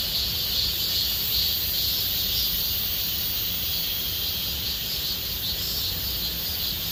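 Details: In Gomsol Nuri Forest of the Sihwa area in late summer, cicadas keep up an unbroken high-pitched droning, with a few brief brighter chirps rising out of the steady buzz.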